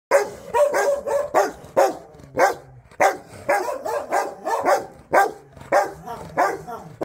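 A Rottweiler barks in quick, deep bursts, roughly one or two per second.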